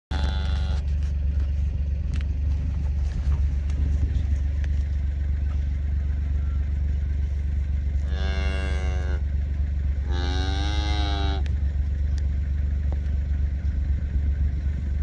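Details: Black Hereford calf being processed on a calf scale at Schroeder's Black Herefords gives two loud harmonic bawls, each rising then falling and about a second long, over a constant heavy engine drone.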